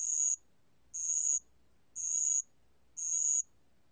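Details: Four clear, piercing ringing notes from a bell cricket, each about half a second long and spaced about a second apart. The 2020 recording is from the National Institute of Biological Resources, and the background is quiet.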